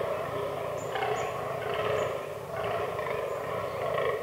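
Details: Fallow deer bucks in the autumn rut in a forest, where the herd includes albino and black bucks. Deep, rough groaning bursts come in quick succession, about one every second, over a steady background hum.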